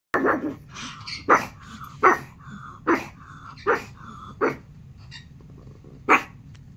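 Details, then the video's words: Norman, a pet dog, barks at Netflix playing on TV indoors: about eight sharp, loud barks spaced unevenly across roughly seven seconds, with a low steady hum and faint tonal TV sound between them. "Norman barking at Netflix"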